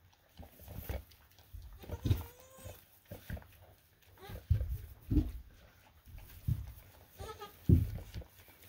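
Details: Young full-blooded Boer goat kids at bath time on a homestead; short wavering bleats come every second or two, some rising and quavering, mixed with low handling noise and splashing.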